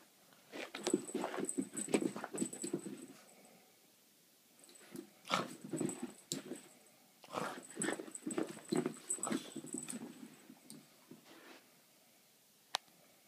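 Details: A Boston Terrier being sneaky makes bursts of snuffling grunts and soft whimpers, with clicky mouth sounds between them.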